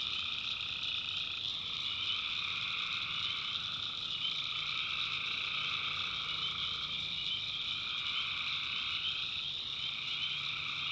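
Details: Swamp at night in backwoods North Carolina, tree frogs droning steadily in two low tones under a shrill cricket hum, the frog notes briefly faltering and shifting pitch now and then.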